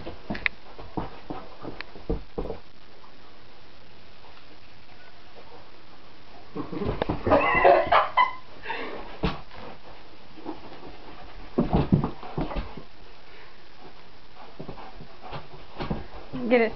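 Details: Weimaraner dog indoors, excited and chasing a light shone on the wall and floor; scattered short whines and yips, with a louder burst of excited whimpering midway and another near the end, amid shuffling and footsteps.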